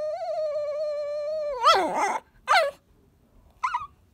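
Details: Chihuahua named Kohaku asking in a cute voice for someone to take the ball: a long, steady, high whine held about one and a half seconds, then a sudden wavering yelp and two short, sharp yips separated by silence.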